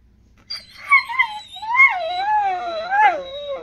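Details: Pet dog "talking": a wavering, yodel-like howl of rising and falling glides, broken into several syllables over about three seconds, sounding almost like speech, with a person talking to it nearby.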